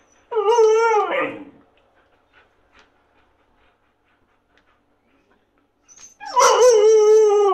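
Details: Husky Yula begs to be fed indoors, asking for food as it cools. Two long tonal howls, each over a second, the first wavering and dropping at the end, the second rising sharply then holding steady, separated by near silence.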